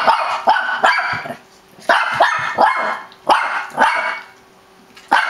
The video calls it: shih tzu crazy barking:D